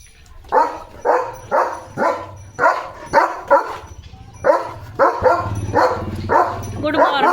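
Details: Leo, a pet German Shepherd, playful while carrying a water mug in its mouth: a long run of deep, harmonic barks repeated roughly every half second, with a short pause midway and some human voice mixed in.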